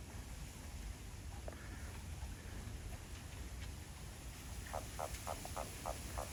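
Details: Behind a home in Japan, where frogs are becoming lively, a Japanese toad gives a burst of about seven rapid, rasping croak pulses near the end, each short and evenly spaced, against constant low-frequency rumble.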